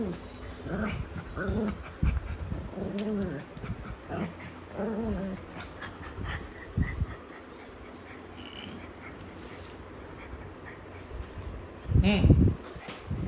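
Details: Pet pug making low grunting and whimpering noises in short bursts, several clustered in the first five seconds, a quiet stretch, then a louder burst near the end, with faint household background sounds.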